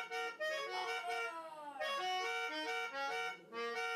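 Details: A wire fox terrier and a toy poodle howl together along to a reedy accordion or harmonica tune, their voices sliding down in long glides; dog.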